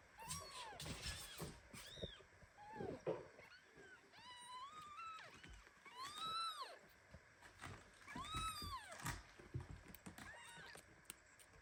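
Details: Premature kitten hugged so tightly by a mother cat that it starts meowing; repeated clear, rising-then-falling meows every second or two, some thin and high, others fuller, with soft rustling and handling noise between.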